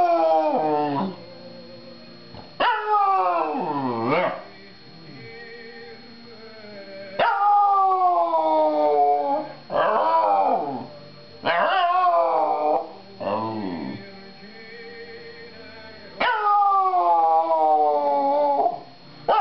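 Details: Pet dog howling along to opera on television on Christmas Day 2009, indoors; long wavering howls sliding up then falling, each lasting one to three seconds, with opera singing and a steady electronic tone.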